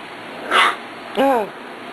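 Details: A single short, harmonic yip that bends upward then down, from Corgi puppies Beth and Kobe, four weeks old, recorded 2/2/10, preceded by a brief breathy noise over a quiet indoor hiss.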